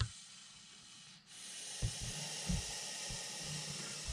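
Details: Montpellier snake showing threat behaviour as a hand approaches: a drawn-out breathy hiss pauses once, presumably for a breath, then resumes louder, with a few low thumps beneath.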